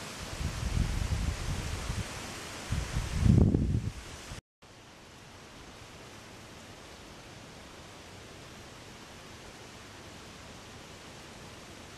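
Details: Low rustling and wind-like noise for a few seconds, a brief dropout, then steady hiss with no animal voice. No calls are heard.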